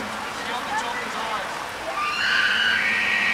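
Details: Bull elk in rut at Estes Park, Colorado: a high, whistled, sustained bugle begins after two seconds and holds steady to the end, following people talking nearby.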